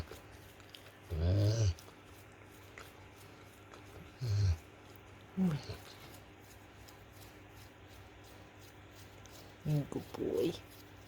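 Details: A Rottweiler, flat out asleep after a hard day, gives low, throaty snores in short rumbling bursts a few seconds apart at uneven intervals, while the owner softly asks if he is snoring.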